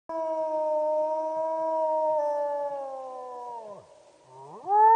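A wolf gives a long, steady, tonal howl that sags at the end before a new one rises.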